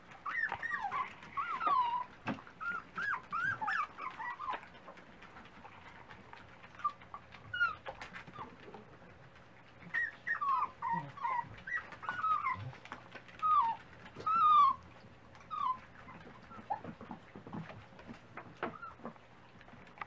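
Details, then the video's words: Several Dachshund puppies at breakfast time make high, wavering whimpers and squeals in overlapping bursts with brief pauses, some sharp yips rising above the chorus, in a small indoor room. "Variety of Roxies Doxies pups at breakfast time"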